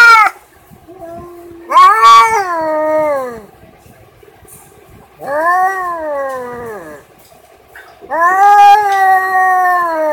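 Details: Domestic cat giving a series of long, drawn-out meows, each rising then falling in pitch and lasting one to two seconds, four calls in all with short pauses between them.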